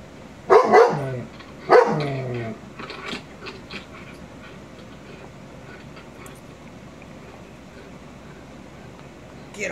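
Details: A 22-month-old male shepherd dog, reacting to a Rottweiler on TV, gives two sharp, loud barks a second apart, then quiet grumbling noises.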